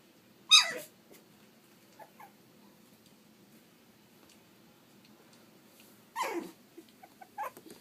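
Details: Three-and-a-half-week-old Pug/Dachshund mix puppies giving two loud high squealing whines with falling pitch, the first near the start and the second about six seconds later, with small squeaks and rustling between.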